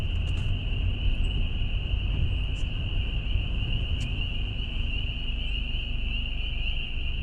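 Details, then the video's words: Loud chorus of many wild spring peepers heard from a road, the first of the year, forming a continuous high shrill band of overlapping peeps, with heavy low rumble from wind or a vehicle. "hear them? Listen how loud they are. These guys,"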